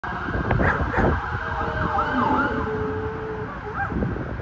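A poodle howls in drawn-out, wavering tones that rise and fall like a siren.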